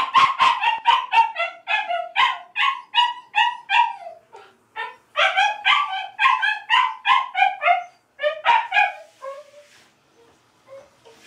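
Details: A pet dog named Kouda, plainly unhappy about being put in the bath, lets out rapid, pitch-bending yelps and whimpers in bursts, pausing briefly before a fresh volley that fades into soft whines.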